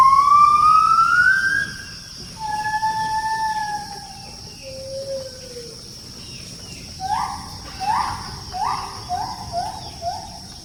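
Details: Gibbons calling from forest near a settlement, visiting daily for wild fruit; a few long rising and falling whoops give way to a fast run of short upward-swooping notes, several per second.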